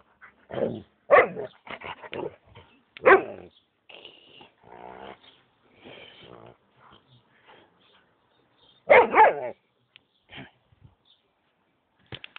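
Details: Home recording of a Huskamute cross-breed dog barking in loud, harsh bursts separated by pauses, mixed with softer whining, grumbling vocal sounds in between.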